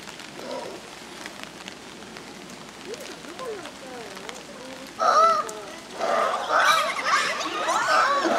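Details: Young Japanese macaques moving around energetically at Ueno Zoo on 14 April 2022. Soft wavering tonal calls come first, then loud, harmonic-rich rising and falling calls bursting out and overlapping over the last few seconds, with background murmur.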